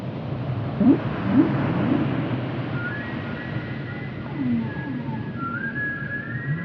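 Whale calls: low, swooping moans that slide upward, then higher drawn-out whistles over a steady underwater rumble.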